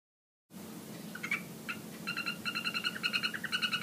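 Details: Golden poison frogs (Phyllobates terribilis, yellow form) call in a terrarium with rapid, buzzy trills of clicking pulses over a low steady hum.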